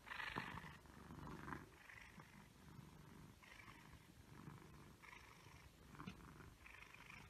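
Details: Egyptian Mau cat purring, a soft low rumble that swells and fades in regular pulses roughly every second, with faint higher breathy bands on each pulse and a quiet room behind.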